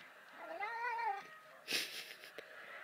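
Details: Cat coaxed by a person saying "say hello": one drawn-out, wavering meow rising then falling over under a second, followed by a loud brief rustle or thump and the person's voice.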